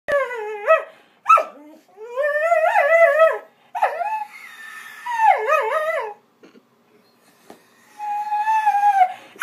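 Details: Pet Vizsla dog 'singing' indoors: long wavering howls with pitch that slides up and down, broken by short yelps, bursts lasting one to two seconds with brief quiet gaps.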